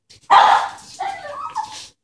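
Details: Excited puppies, two dogs, reacting as a woman arrives home; a loud sharp yelp or bark followed by higher whining yips trailing off over about two seconds.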